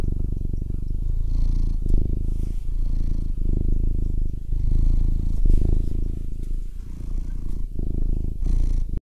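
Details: Loud, close purring from a fat cat, a low continuous rumble that rises and falls with each breath in cycles of about one second, with no other sounds present.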